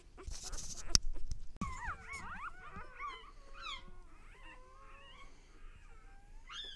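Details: One-day-old dog pups from Lexa's litter squeaking and whining, high thin tonal cries sliding up and down in quick overlapping bursts, with handling clicks and thumps near the start.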